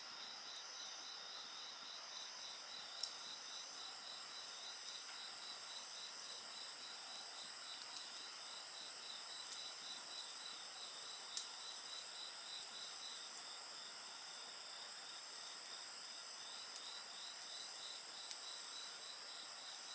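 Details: Insects singing alongside a crackling bonfire: dense high-pitched trilling in several steady layers, one band pulsing rapidly and evenly throughout, with sharp isolated pops from burning wood every few seconds.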